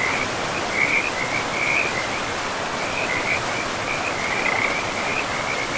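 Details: Frogs calling beside a river deep in a pristine, moss-covered forest: bursts of high, warbling trills repeat through the clip in short wavering runs, set against the continuous hiss of rushing river water.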